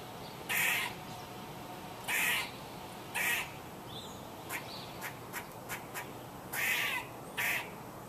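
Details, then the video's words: Squirrel making loud, raspy, broadband barks, several spaced one to two seconds apart, with quieter quick clicking notes in between and a steady low hiss behind. "Squirrel Making Noise"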